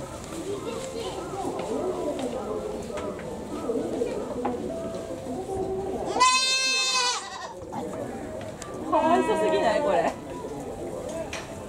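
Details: Goat in a zoo in Japan, Tobu Zoo, giving a call that sounds like a human crying: two loud, wavering, strongly harmonic bleats of about a second each, several seconds apart, over steady background chatter from visitors.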